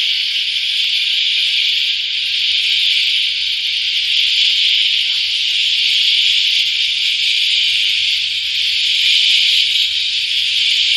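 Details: Cicadas in summer fill the air with a steady, high-pitched buzzing drone that barely wavers.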